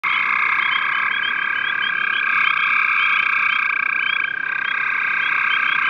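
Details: Gray tree frogs calling on 5/7/13, several overlapping steady trilled calls merging into a continuous chorus with bright, high pulsed notes flickering above throughout.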